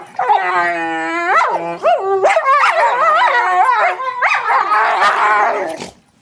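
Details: Pet dogs making weird noises: a steady, wavering howl that slides up into quick rising-and-falling whines and yelps, followed by a rapid run of warbling, yodel-like cries lasting about five seconds before fading to quiet.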